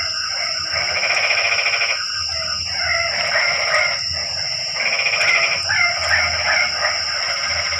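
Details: Frogs calling at night in the rain: a dense, buzzy chorus of pulsed croaks swells in bursts of about two seconds, broken by short pauses, over a steady high insect whine.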